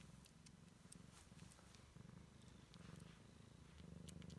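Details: Siamese kitten exploring the world for the first time, purring steadily in a low, rumbling throb with rhythmic breath phases, light clicks and rustles above.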